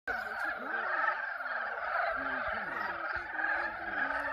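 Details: Frogs in a mating chorus at Yulgok Arboretum pond in spring: dense, continuous croaking and trilling from many callers forming a steady wall of sound, with lower warbling notes beneath.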